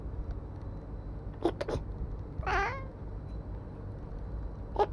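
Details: Black cat answering a person's sneeze with a single short, bent, harmonic meow right after the sneeze sounds, with low room hum behind.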